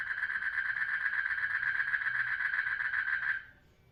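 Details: A frog in a water lily pond gives a steady, rapidly pulsed trill for about three seconds, calling to attract mates during mating.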